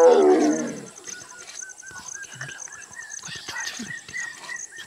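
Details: A tigress in Kanha National Park, Madhya Pradesh, India, gives a single loud, falling moan to call her cubs, followed by bird whistles and insect hum.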